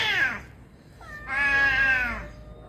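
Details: A domestic cat (Felis catus) gives a short falling cry, then a long, strained, high wail: a scream signalling extreme fear or aggression when truly threatened or in a confrontation.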